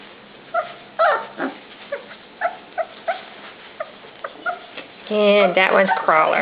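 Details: Several puppies at dinnertime give scattered short whines and yips for about five seconds, then a louder stretch of overlapping voices and human talk takes over.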